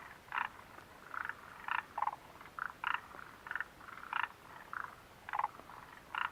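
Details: Frogs at the Mitsuishi refuge hut in late June 2013 croak in short, evenly spaced pulsed notes, roughly two per second, several individuals answering one another.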